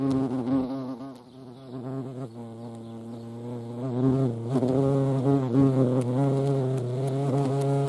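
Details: Low humming buzz of hornets visiting a feeding place with ants at Dohr in the Eifel, 28 July 2022, fading briefly mid-way then swelling again, its pitch wobbling up and down as insects hover.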